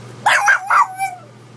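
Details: Pug barking at a gallon water bottle: three quick, sharp, mid-pitched barks in under a second, followed by a thin whining tail, with a steady low hum underneath.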